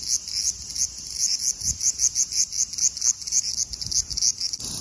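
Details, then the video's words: Large brown cicada (Graptopsaltria nigrofuscata) singing lively at 24 degrees (75 °F), a dense high-pitched sizzle pulsing rapidly, roughly three beats per second, steady and loud, ending in a plainer buzz. "Large brown Cicada singing lively at 24 degrees(75 fahrenheit)"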